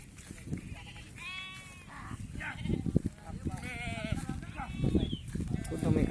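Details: Sheep bleating while being treated one at a time during PPR vaccination, with goats kept apart; several wavering, quavering bleats over close-by men's speech and handling noise.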